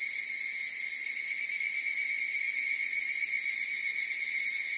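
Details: Higurashi cicadas singing together in a dense, continuous high buzz of layered tones, gently wavering and rapidly pulsed, with nothing else audible.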